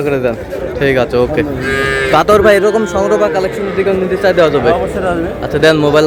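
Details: Sahiwal bull calves at a livestock market, a Noakhali farmer buying, 24 February '26; one short, harmonic moo near the middle amid constant loud human talk and market bustle.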